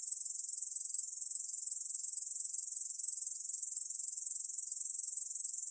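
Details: Brief stretch of Ussur brown katydid song recorded by Korea's National Institute of Biological Resources in 2020: an even, high-pitched rasping trill with quick regular pulsing and nothing else audible.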